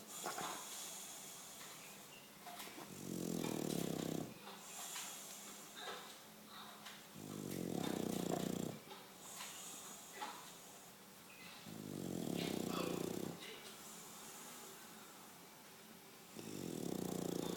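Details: English Bulldog snoring: deep rasping snores swelling in long bursts about every four seconds, each roughly a second and a half, with softer breathy hiss between them in a quiet room.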